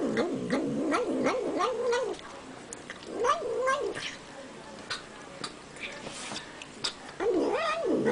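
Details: Housecat making a wavering, warbling moan while eating, delivered in three separate bouts of undulating pitch with quieter stretches of clicking and chewing-like ticks between them.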